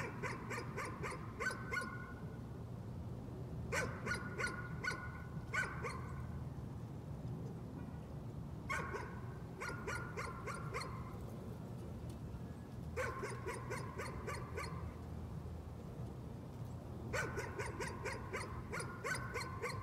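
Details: A dog's nuisance barking comes in five separate volleys of rapid, yappy barks, each lasting one to two seconds, with short quiet gaps between them and a constant low hum underneath.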